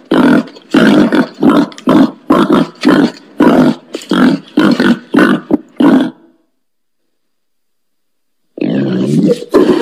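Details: Wild boar grunting in a steady rhythm, roughly a dozen short, rough, throaty pulses in six seconds, then silence before one more harsh, drawn-out grunting call begins.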